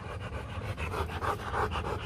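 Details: Rottweiler at a Vietnamese breeding kennel, where a female from Hưng Yên came to mate with champion male Loki; quick rhythmic panting breaths, roughly eight per second, breathy and steady, with low background hum.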